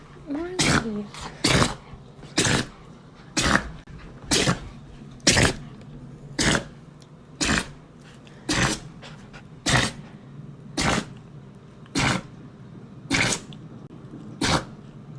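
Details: A dog sneezing repeatedly during a burst of zoomies: about fourteen sharp, explosive bursts spaced roughly one second apart, with faint voices early on.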